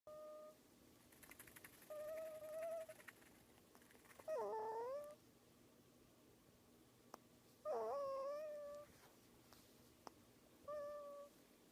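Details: A prairie dog, sleeping while snuggled with its owner, gives short, squeaky whining notes, some wavering or dipping then rising, spaced a few seconds apart.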